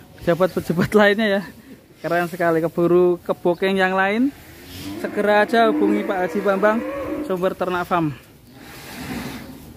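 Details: Huge cow intended for Qurban sacrifice lows in a series of short, choppy bursts, then a longer wavering moo lasting several seconds before fading, with background voices possibly mixed in.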